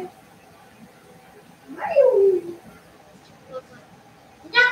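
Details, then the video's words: Cavalier King Charles Spaniel puppies playing indoors in a home puppy pen, one giving a single drawn-out whine that slides down from high to low, followed by a short bright yelp at the end; the room is otherwise quiet. "Cavalier Puppies Live: Puppies Play in the House!"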